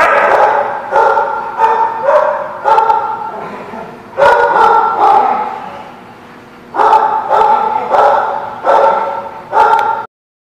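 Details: Dog barking in a steady series of loud, harmonic barks, about one every half second to second, with a pause midway before the barking resumes; a low background hum runs underneath.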